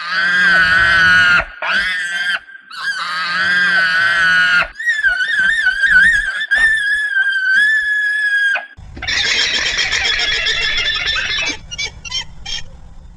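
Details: Alpaca calls: loud, braying harmonic cries, then a wavering, trilling high whine, and a harsh, noisy, buzzy burst near the end, with short pauses between the sounds.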